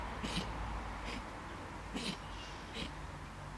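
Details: Quick run of snorting sneezes from a fox, four short hissy bursts in under four seconds, each with a soft huff before it, above a constant low background hum.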